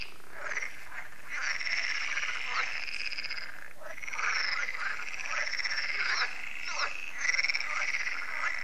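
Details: Evening frog concert at a French lake, repeated each year once solar lights come on; thick layered croaking with rasping trills and short quacking notes rising and falling in waves.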